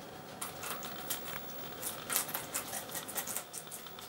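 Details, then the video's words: Two guinea pigs, Poopie (agouti) and Nacho (white and brown), eating red pepper together indoors; quiet, crisp crunching and nibbling clicks in quick irregular bursts, with one louder crunch near the middle. "Guinea Pigs - Eating Red Pepper"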